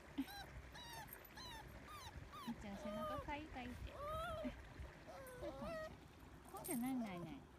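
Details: An adult Toy Poodle, one of three peering nervously but curiously into a roadside gutter, whines in thin, wavering, puppy-like tones that rise and fall, with the gutter's running water behind.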